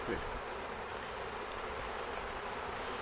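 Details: A Western honey bee swarm at Meadowlily Farm, Ontario, on 11 May 2025 fills the air with a dense, steady, many-voiced buzzing hum as the bees move into a box with used brood comb; the queen was not found.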